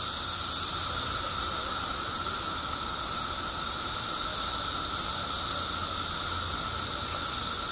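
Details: Periodical cicadas in Illinois, billions strong after 17 years below ground, keep up a continuous droning chorus, a level, hissing high band over a sustained buzz, swelling slightly midway but never stopping.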